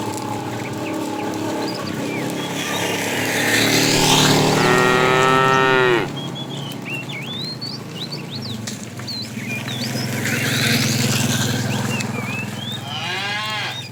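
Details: Tame cows roaming a road in search of food: a long harmonic moo of about two seconds, then a shorter one near the end, over steady birdsong and a low background hum.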